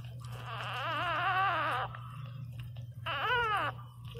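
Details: Newborn Pinscher puppy named Teco crying loudly: a long wavering, high-pitched whine of nearly two seconds, then a pause and a shorter rising-and-falling cry, over a steady low electrical hum.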